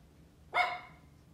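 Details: A female Pomeranian gives a single sharp, high-pitched bark outdoors that rings briefly before fading.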